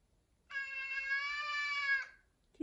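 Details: A big male F2 Savannah cat gives one long, steady, drawn-out meow for attention, wanting to play, with his favourite stick toy.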